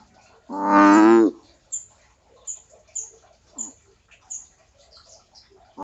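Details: American bullfrog giving one loud, deep, resonant croak that lasts under a second and is rich in harmonics. Thin high bird chirps follow, repeated several times against a quiet background.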